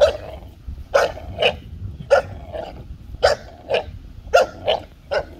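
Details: Playful tug of war between a 5-month-old American Bully puppy and a 2-year-old Golden Retriever: quick barks, roughly one per half second, over a continuous low growl.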